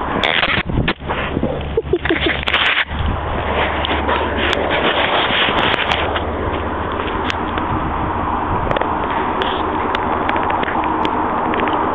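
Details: Steady broadband rumble with scraping, crackling and sharp clicks throughout, louder bursts in the first three seconds, and no clear animal voice.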